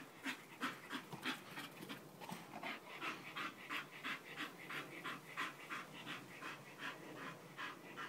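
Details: Bull Terrier panting steadily, quick rhythmic breathy huffs about three per second, each a broad airy burst, continuing throughout with no other clear sounds.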